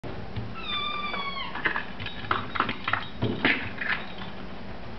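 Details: Domestic Shorthair cat at a shelter, up for adoption, recorded 6 May 2011: one drawn-out meow, level then dropping slightly, followed by clattering knocks and handling noises over a constant background hiss.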